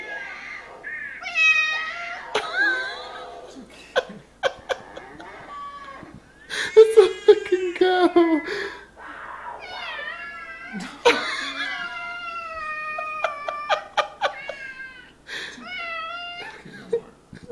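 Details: Pet cat responding to recorded meows from an iPad, a busy exchange of short and longer meows, some rising and falling, overlapping with sharp taps and clicks and occasional human speech indoors.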